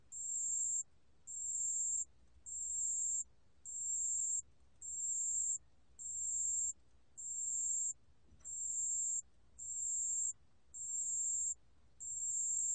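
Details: Pale bell cricket song from a 2020 National Institute of Biological Resources recording: eleven evenly paced, high ringing trills, each roughly three-quarters of a second, repeated about fifty times a minute with short gaps and faint background hum.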